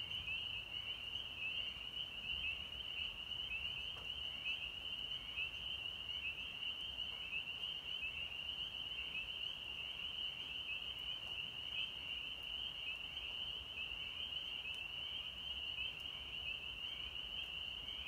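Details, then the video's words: Spring peepers calling in North Georgia on March 24, 2020: a dense, unbroken chorus of high, piercing peeps from many frogs, overlapping into a steady shrill band with faint ripples, over a soft low rumble. "Spring Peepers (Pseudacris crucifer)"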